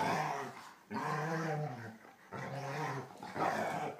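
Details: German Shorthaired Pointers Copper, the annoying younger brother, and older Zoie at play inside; long sustained growl-whines with strong harmonics, two drawn-out bouts over a few seconds, close and loud.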